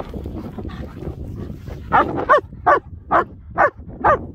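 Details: German Shepherds Nico and Zeeva out enjoying the hills around Hawick; after a stretch of low rumble and wind, a dog gives five sharp, mid-pitched barks, about one every half second.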